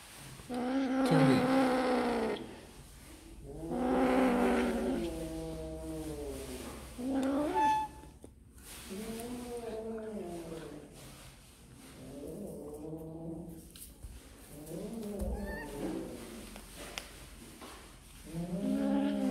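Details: Kittens eating snacks give loud, drawn-out harmonic meows, each rising then falling, repeated about every two to three seconds across the stretch, with some rustling between calls.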